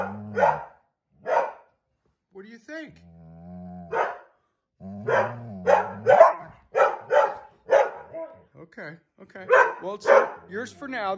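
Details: An Airedale Terrier that has stolen a chair and won't give it up. Scattered short, rough bark-like bursts are broken by a stretch of a person talking, then a quicker run of grumbling barks and a final burst near the end.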